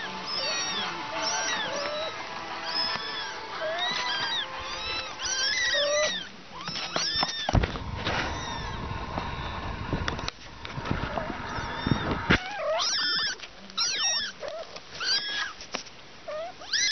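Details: Three young cats with their mother, giving many short, high mews that arch up and fall, often overlapping in quick succession, with a burst of rustling, scraping noise midway and brief quiet gaps between calls.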